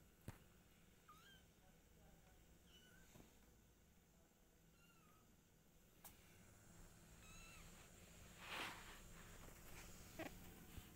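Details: Kittens with mother cat Silky and their father: a string of small, faint, high mews repeats every second or so, with clicks, taps and a brief burst of rustling in between.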